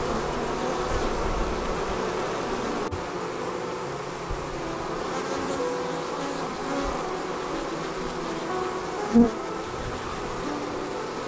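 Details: Honey bees departing their hive and forming a swarm: a dense, steady droning buzz from many bees, low and unbroken throughout, with one short sharp tap near the end.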